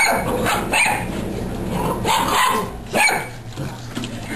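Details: Young dog at a playdate with 7½-week-old golden puppies and a lab; a few sharp, bright barks come in short bursts about a second apart, with people's voices and background noise in between.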